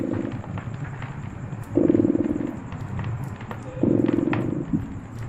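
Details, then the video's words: Purring cat, a low throbbing rumble that swells into two louder, pulsing bursts about two seconds apart, over a steady soft hiss and a faint thin high tone. "Purring Cat"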